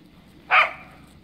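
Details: A single short, bright bark from Kaya, a Cardigan Welsh Corgi playing in the snow, with a calm outdoor background around it.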